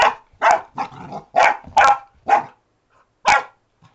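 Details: Retriever puppy named Alfie barking while discovering a door stop indoors: a burst of short, sharp yapping barks in quick succession, about seven in four seconds, with a brief pause before a final bark.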